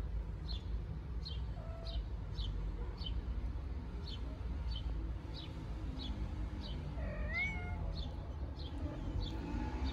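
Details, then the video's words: Newborn stray kittens in Istanbul venture outside for the first time in nice weather, curious and playful; a short faint mew early, then one clear high arching meow near the end, over steady chirping about twice a second and low rumble. "Newborn kittens Go Outside for the first time"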